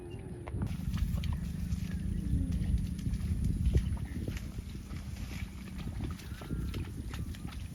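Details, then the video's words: Cow giving a long, low, steady moo lasting several seconds over a rumbling outdoor background with scattered clicks and knocks. "Voice Cow - Cow Funny mooing sounds"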